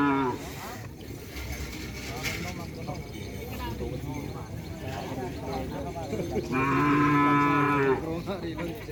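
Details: Small cattle at a crowded gathering event: steady crowd chatter and voices throughout, then a loud, long harmonic moo lasting about a second and a half near the end.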